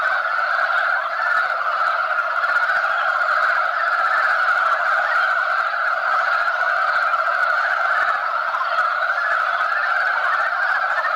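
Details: Male mountain frogs crowd a spawning site, competing for females. Their massed croaks merge into a steady, continuous mid-pitched chorus that neither rises nor fades, with no other clear sounds.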